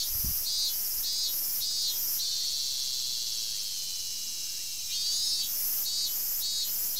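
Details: Robust cicada, summer forest, 19 August 2012: an unbroken piercing buzz overlaid by regular pulsed chirps, roughly one every half second, fading midway and resuming near the end.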